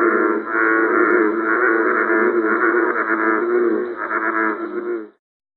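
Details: American bullfrog recorded for the audio supplement to the guide Amphibians and Reptiles of Georgia: a deep, resonant, droning call held for about five seconds with faint pulsing swells, ending abruptly into silence.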